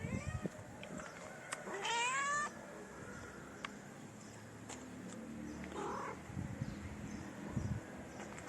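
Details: Stray cats in a city in Morocco, two of them approaching each other to mate while a hungry one-eyed tabby is nearby; one drawn-out wavering meow rising then falling, with faint street noise and soft clicks around it.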